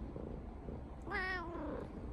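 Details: Brown tabby house cat greeting its owner in the morning indoors: one short, faint meow with stacked harmonics that rises then falls, between a person's soft morning greetings.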